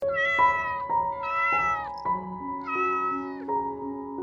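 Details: Tiny lost stray kitten crying nonstop in the grass on a sunny afternoon before rescue: three drawn-out, rising then falling mews, each near a second long, with steady soft music playing underneath throughout.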